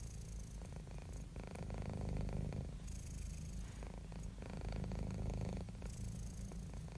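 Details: Calm, happy domestic cat purring deep and throaty, the rumble swelling on alternate breaths roughly every one and a half seconds, steady and unhurried with no other noise.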